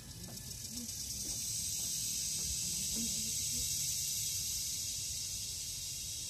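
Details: Loud forest chorus of the Philippine cicada (kuliglig): an intense, unbroken high buzzing that swells slightly and stays steady, with a few soft low knocks beneath.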